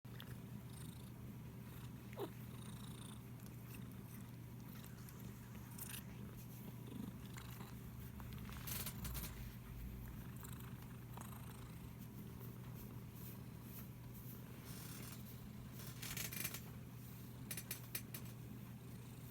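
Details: Domestic cat purring while being stroked, filmed on an iPhone SE indoors; a steady low rumbling purr runs throughout, with soft rustling and brushing noises from the hand on fur.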